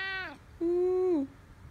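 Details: Domestic cat Kathi meowing indoors: a brief falling mew, then a longer steady, clear, tonal meow that drops in pitch at its end, over a quiet room background.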